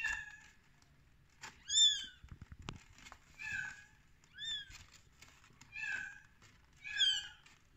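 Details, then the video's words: Rescued baby kittens on day 13 meowing: high, thin mews with downward-curving pitch come about every one to one and a half seconds, some short and some drawn out, with faint rustling and handling noises between them. "Baby kittens in day 13"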